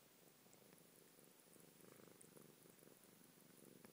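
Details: Chocco, a cat, purring softly while having his nose rubbed, which makes him yawn; a steady low rumbling pulse runs throughout, quiet and continuous, with faint clicks above.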